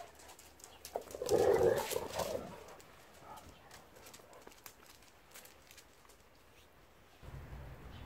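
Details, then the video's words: Labrador Retrievers Noa and Luna, on a stay of several days with the dogs Duggan, Dakota and Beertje, interacting in dog language. A loud harsh bark or growl burst about one to two seconds in, then quieter scuffles and rustling. "Labradors Noa en Luna komen logeren - veel hondentaal"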